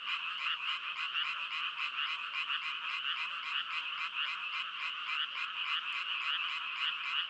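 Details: A steady chorus of frogs, with rapid rasping croaks repeated in an even pulsing rhythm and no other sounds.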